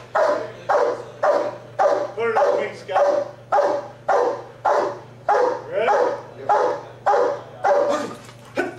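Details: Police working Giant Schnauzer barking steadily, about fourteen forceful barks in a fairly even rhythm near two per second, with a human voice faintly between barks and a constant low background hum.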